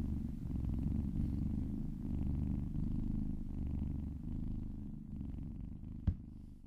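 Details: A little kitten purrs in a continuous low, pulsing rumble while being massaged and licking its owner's arm. A single sharp click sounds near the end.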